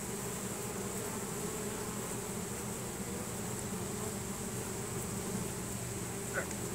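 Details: Honey bees of a swarm streaming into a new hive after smelling Nasonov pheromone; steady massed buzzing with low hum bands and a faint high whine, a small click near the end.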